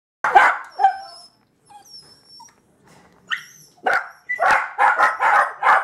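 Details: Puppies reacting to seeing themselves on a screen, letting out a few scattered barks and yips, then a rapid run of sharp barks near the end, with brief whines and a faint tone between.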